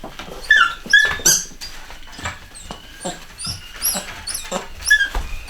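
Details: Young chocolate Cockapoos, Cocker Spaniel x Poodle puppies from a home-bred litter, let out short high squeaks and whimpers at irregular intervals over soft shuffling and rustling.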